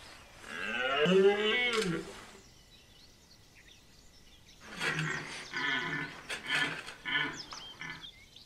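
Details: Red deer in the September 2021 rut in the walled forest of Chambord, France, giving a loud arched roar, a pause, then a run of shorter rough grunting bellows repeated about twice a second.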